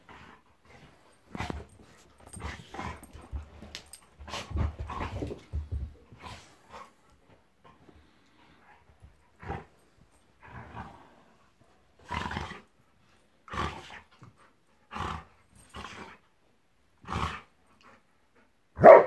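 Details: Monty, a pet Golden Retriever, play fighting with Eric the Labrador: short rough growls and huffing grunts in separate bursts, a few seconds apart, with the final burst loudest.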